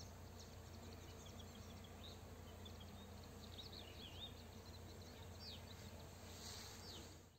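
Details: Foraging honey bees collecting nectar and pollen on flowering rapeseed in the afternoon as a farmer sprays the neighbouring field; continuous low buzzing drone, overlaid by brief high bird chirps and outdoor ambient noise.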